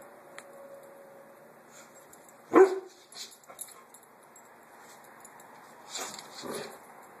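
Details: Roxy, a puppy, investigating and harassing a small watermelon indoors; one sharp, loud bark near the middle, then soft scuffling and tapping, with two muffled bursts of sound near the end.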